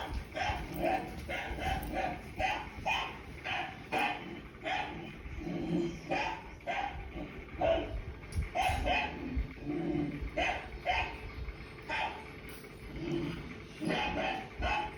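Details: Leo, a pet dog, reacting to a barking sound on TV: a run of sharp, repeated barks, about two per second, in bursts with brief pauses, with faint talking in the background.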